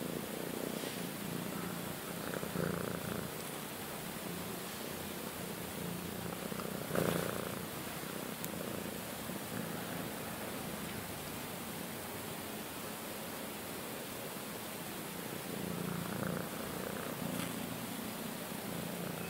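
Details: Domestic cat, one of two sister cats (one friendly, one shy) kept indoors in a front bedroom for a week, purring in a continuous low rough rumble, with a brief louder rustle near the seven-second mark.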